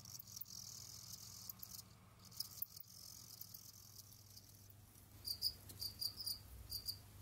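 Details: Jamaican field crickets kept as pets, roaming, digging and hunting other insects in their enclosure; a steady high hiss, then in the final two seconds a quick run of about five short, bright, high chirp pulses.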